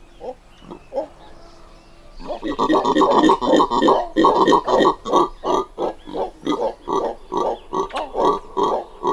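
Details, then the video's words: Two red howler monkeys recorded at close range: after two quiet seconds with a few soft grunts and faint bird notes, a dense run of short, gruff grunts follows, pulsing about three times a second. "Red Howler Monkey / CU Grunts Of Short Duration From Two Individuals"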